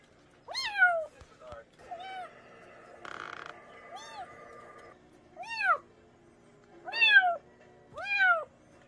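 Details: A cat gives about seven short, sharply arched meows, used as a rat deterrent in rural areas, with a brief buzzy tonal noise midway and quiet gaps between calls.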